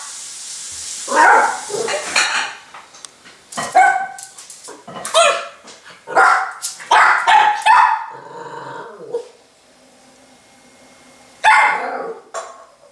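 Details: Miniature Pinscher puppy, afraid of a spoon in its bowl, gives a run of high, yappy barks in bursts, some doubled, with short pauses and a final lone bark after a quiet gap.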